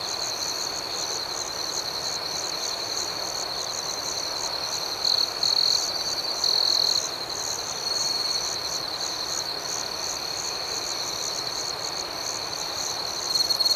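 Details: Chorus of crickets in the night, an unbroken shrill ringing with quick pulsing above it; a few louder buzzy trills stand out midway and again at the close.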